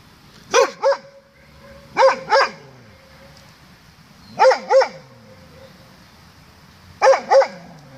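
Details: Doberman barking at its own echo on 16 May 2016 at 07:18 in the morning: loud, harsh barks in quick pairs, four double barks spaced about two seconds apart, with faint trailing echoes between.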